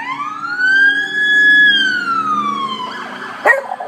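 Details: A female beagle, who hasn't yet learned to bay, howls along with passing fire truck sirens: a long, smooth howl that rises, holds, then slowly falls.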